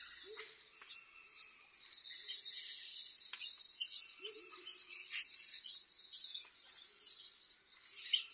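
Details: Common squirrel monkeys in Amazon rainforest at Leticia, Colombia, giving dense, shrill, rapid chirps and squeaks in overlapping bursts that go on throughout. Short lower notes repeat about every second and a half underneath.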